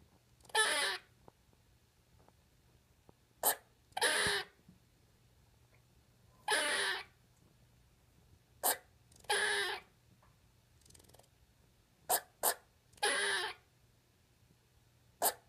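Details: Pet squirrel Lexi making her first vocal sounds, talking for the first time: breathy, hissing bursts about half a second long alternating with sharp single clicks, irregular spacing, low steady hum behind.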